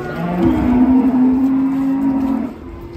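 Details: One giant cow unloaded from a truck in 2024 bellows a single loud, even moo of about two seconds that fades at the end, with little else audible.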